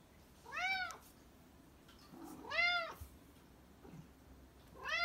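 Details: Black cat meowing indoors: three clear, arched meows with rich stacked harmonics, each under a second long and spaced about two seconds apart, over a quiet background.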